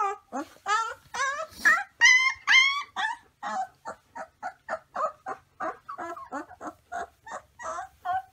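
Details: Young gray wolf (Canis lupus) pups give high, squeaky yips and short wavering howls in a quick run.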